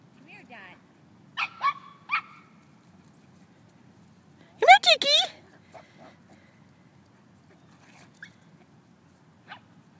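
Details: Puppy on a tennis court, stretching its legs and lungs; a few short harmonic yelps, then a loud burst of rapid high yelping near the middle, with faint scattered sounds afterward over low background hum.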